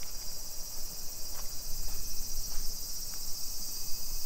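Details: Summer cicadas in a suburban neighborhood of Nisshin city near Nagoya, Aichi Prefecture, Japan, at 2 PM on 28 July 2021: a steady, high, hissing drone holds without pause, with soft footsteps from a street walk tapping underneath.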